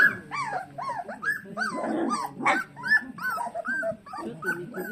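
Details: Golden retriever puppy whining howls: short, bent, rising-then-falling cries repeated quickly over a few seconds, with a burst of rustling noise in the middle.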